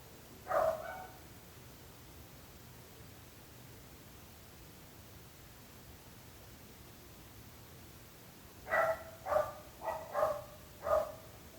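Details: Dog barking near neighbours: one lone bark, a long quiet pause of several seconds, then a quick run of five barks in close succession, over faint background hiss.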